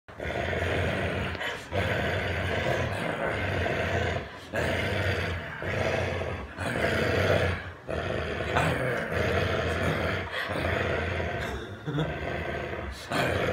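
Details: Boomer, an American Bulldog, growls while protecting his stuffed monkey: long, rumbling, low growls in bursts of one to two seconds, broken by short pauses, going on steadily throughout.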